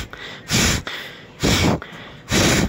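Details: Captive female civet (musang) in a blue cage in Purwakarta, West Java, making bebengos, a long exhaled breath that signals heat in adults. Three loud, breathy, hissing exhalations, each about half a second, repeated roughly every second, with quiet gaps between.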